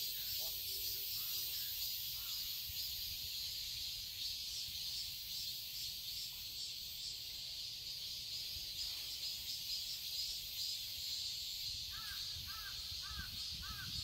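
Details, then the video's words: Cicadas fill a summer garden in Seoul, Korea, with a constant high sizzling drone. A few soft notes come early on, and a short run of quick repeated chirps sounds near the end. "Cicadas chirping sounds"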